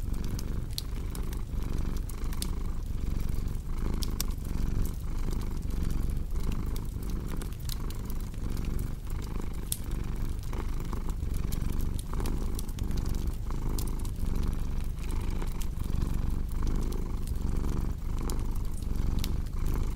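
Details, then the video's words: A cat purrs in a low, throbbing rumble that rises and falls with regular breaths, while a cozy fireplace crackles with scattered sharp pops throughout. "Purring Cat with Cozy Crackling Fireplace Sound"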